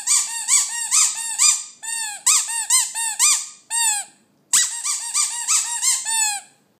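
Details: Westie singing in a small room: a series of high, squeaky, arching howl notes in bursts, each rising then falling, grouped in phrases separated by brief pauses.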